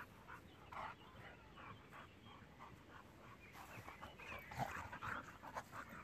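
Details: Playing together, the six-year-old German boxer Jack and a young pitbull give irregular huffing pants and soft whimpers that grow louder and busier in the second half.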